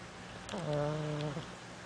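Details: Pug dozing while sitting up, a heavy snorer, producing a single drawn-out nasal snore lasting about a second, a low buzzy droning tone with a quick onset and taper, in a quiet indoor setting.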